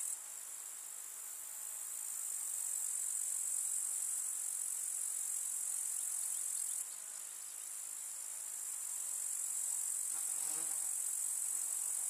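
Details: Continuous high, rasping shrill of a grasshopper chorus in a summer meadow with wildflowers, rising gently in loudness, with a short low buzz passing near the tenth second.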